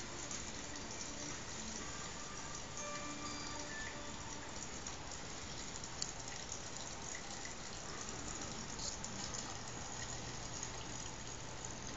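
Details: Steady broadband hiss like running water or rain fills the recording, with faint tonal music traces and no animal voice.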